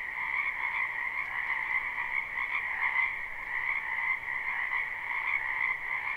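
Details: Many frogs croak in a spring wetland behind a house, captured live without looping: a dense, unbroken chorus of overlapping high trills forming two steady bands, pulsing slightly but never pausing, with no other sounds.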